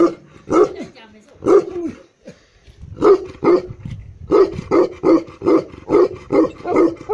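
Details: Deep barking from a black male Tibetan Mastiff, known locally as Bhote kukur, in Eastern Nepal: a few spaced barks, then a steady series of heavy woofs about every third of a second.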